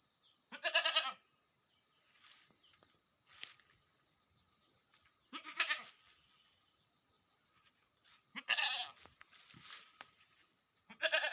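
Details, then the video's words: Four separate bleats from a domestic goat kept on a farm, each a brief tremulous nasal cry roughly every two to three seconds, with a constant thin electronic hiss and occasional soft ticks in between. "alaga natin na kambing"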